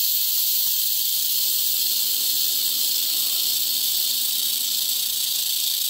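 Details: Angry rattlesnake shaking its rattle very rapidly, a steady unbroken high buzzing hiss throughout, even in loudness, with faint low background rumble.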